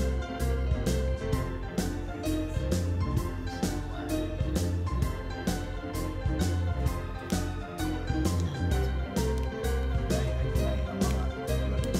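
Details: Steady instrumental music with plucked strings and a regular driving beat fills the whole stretch, with no animal voice standing out.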